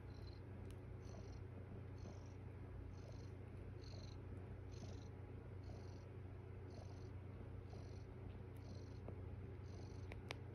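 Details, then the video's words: Mother cat in foster care lying with her kittens in the morning, giving lots of purring: a steady, deep, low hum throughout, with a regular faint higher pulse repeating about every half second over quiet room hiss. "Lots of purring"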